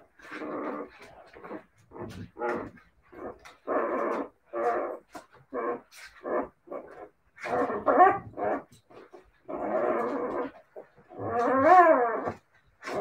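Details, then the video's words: Siberian Husky puppies trade harmonic yips, grumbling growls and short barks in uneven bursts roughly every second, one longer wavering howl-like cry rising and falling near the end. "siberian husky puppies"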